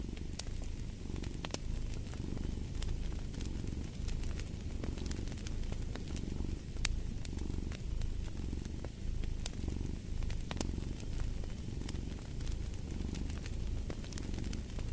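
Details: Steady rumbling cat purr with a regular in-and-out pulse roughly every second, set against the intermittent crackling and snapping of a fireplace.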